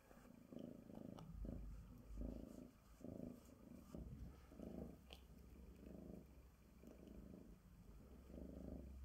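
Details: Purring of Sonya, a female Bengal tabby cat, as she is groomed with a glove indoors: a continuous deep rumble swelling and fading in rhythmic waves about once a second, with brief rustles and clicks from the glove.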